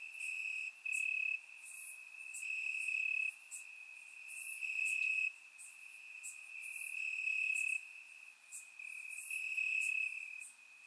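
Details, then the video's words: Grass crickets chirping at night in summer warmth, Bulgaria, surround-sound recording: a steady piercing trill with stacked bright chirp pulses switching abruptly between loud and soft every second or two. "Cricket Sounds - Crickets Chirping at Night"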